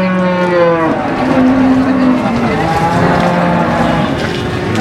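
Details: Cattle lowing at the Warujayeng cattle market on 28 November 2019: low, steady droning moos, a short one then a longer held one, half-buried under busy crowd chatter and outdoor market noise.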